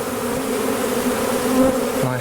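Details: A swarm of Western honey bees, the first of 2023, recorded on May 9 while being rehomed from a tree into a skep, hums in a thick, unbroken low drone with buzzy overtones; a brief lower sound, possibly a voice, joins near the end.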